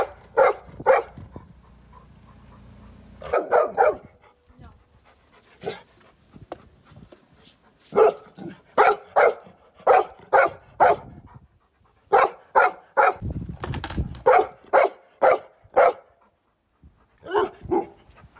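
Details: Golden Retriever barking at a skateboard: sharp broadband barks in quick bursts of two to four, about two per second, with short pauses between volleys and a low rumbling noise in the background.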